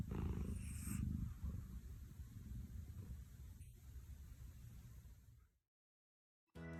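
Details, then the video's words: Overweight pet cat snoring loudly while asleep; deep, rough, rumbling snore with low grating texture, fading out before a short break. "A snore of a cat is big."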